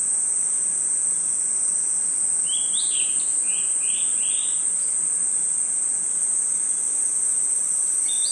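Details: A seamless high insect drone of crickets fills a night forest, and a bird breaks in with four or five rising-then-falling whistles mid-recording and one final whistle at the close.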